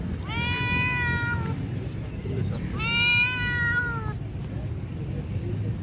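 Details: Two long, level, slightly descending cat meows, each over a second, separated by a pause, against a constant low hum in the background.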